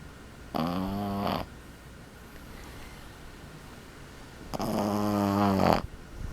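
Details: Boston Terrier puppy about 12 weeks old, asleep indoors, snoring: two rasping, harmonic-rich snores, each about a second long, several seconds apart, with quiet room hush in between.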